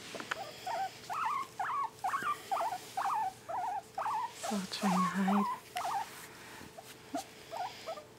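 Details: One of two male guinea pigs gives a run of short, squeaky chirps, several each second, while being petted and tickled, with a person murmuring briefly.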